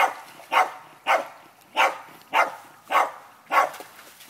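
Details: German Shepherd dogs at a creek where a female puppy is having her first time in the water, with an 18-month-old male shepherd and a Lancashire Heeler nearby; six hoarse barks repeated roughly every 0.6 seconds.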